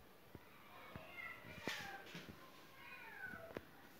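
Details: A cat wanting in through the closed window of a house calls with two drawn-out, wavering meows, separated by light taps and clicks against a quiet room background.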